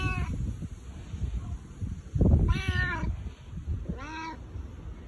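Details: Husky-voiced boss cat Bu-chan calling for affection and rubbing up against people: a soft rustle or thump, then two drawn-out, arching meows about a second and a half apart.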